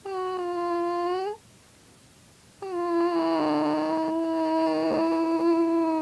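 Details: Pet dog indoors in a small room, howling in response to its owner's weird sounds; a drawn-out tonal howl steady in pitch and rich in overtones, a pause, then a longer howl with a second wavering voice overlapping.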